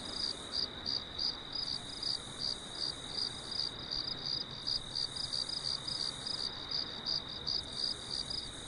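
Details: Farm crickets calling after dark under a full moon; bright, piercing chirps in rapid pulsed groups, almost three each second, a faint higher shimmer coming and going above, steady noise below.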